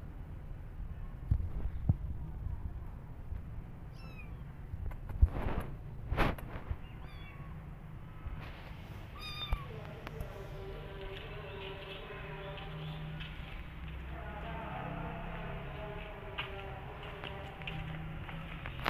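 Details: Kittens left alone cry for their mother cat, looking for a nursing mother; faint, drawn-out harmonic meows come in overlapping runs through the second half, with brief high chirps earlier over a steady low rumble and a few knocks.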